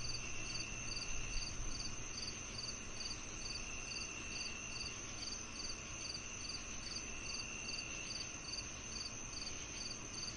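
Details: Crickets chirping steadily, with short high pulses repeated about two to three times a second over a continuous whining drone and a faint low hum.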